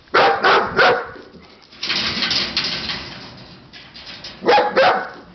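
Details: Siberian Husky puppies barking in short, loud triplets at the start and end, with a rougher, noisy stretch of yelping in between.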